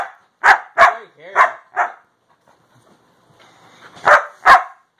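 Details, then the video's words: Siberian Husky pet talking back to his owner: four quick gruff woo-like barks, a pause with faint sounds, then two more loud barks. "Husky talking"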